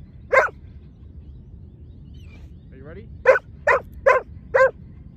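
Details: Sharp barks from a Giant Schnauzer during a lure training session with two dogs: one bark near the start, a pause with faint squeaks, then four quick barks in the last two seconds.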